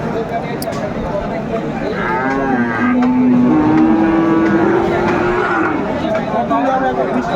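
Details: A long low moo rising slowly in pitch over about three seconds at Aftabganj cattle market, Dinajpur, Bangladesh, 10 September 2024, among Friesian and crossbred bull calves; shorter calls, chatter and a passing vehicle around it.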